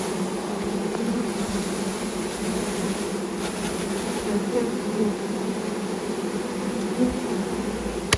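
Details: Thousands of honey bees just poured from a package into their new hive alongside the caged queen: continuous low swarm hum, even and unbroken, with a few soft taps near the end.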